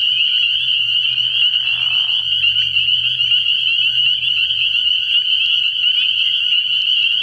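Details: Many spring peepers calling from a frog pond on an early-year night. The shrill high peeping never stops, with a brief coarse lower call near the second mark and a faint deep hum underneath.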